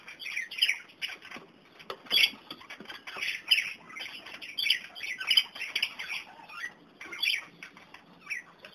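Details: Kakariki feeding on dandelion, the younger birds trying it and the adults enjoying it; continuous shrill chattering and squawking from several birds, rising and falling in bursts about every second, with fluttering and rustling.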